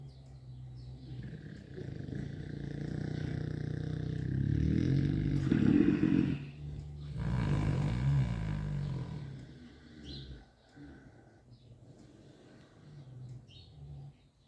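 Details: Sleeping young Mangalitsa sows snore in deep, grating rhythmic breaths, loudest around four to eight seconds, then fading to quieter low rumbles; faint rustling in the background.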